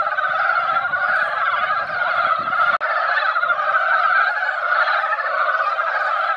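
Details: Springtime gathering of mountain frogs at a hill pond following a light rain; many callers produce a steady, dense mid-pitched croaking chorus, briefly cut near the three-second mark, with some low rumble early on.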